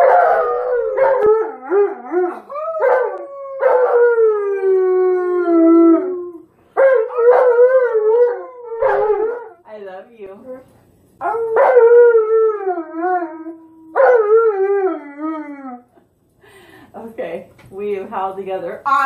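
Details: A dog howls along with its owner: loud, drawn-out wavering howls, each sliding downward, repeated in several long phrases with short breaks and a person's voice joining in.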